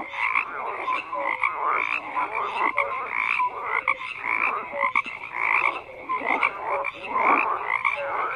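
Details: Frogs in a dense croaking chorus, many callers overlapping in steady pulsed bursts, with short clear tonal notes dropping in between and no other sounds standing out.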